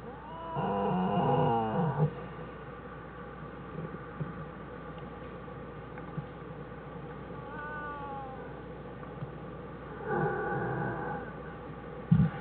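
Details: American black bear mother with her two cubs in their winter den on January 1, 2013. Two bursts of wavering, moaning calls with strong harmonics: one near the start and a shorter one near the end. A low steady hum runs beneath.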